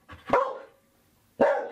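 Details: A female Belgian Malinois barks in answer to how many she sees during a number-reading exercise: two short, sharp barks about a second apart, each loud and broad with a bright mid-range tone.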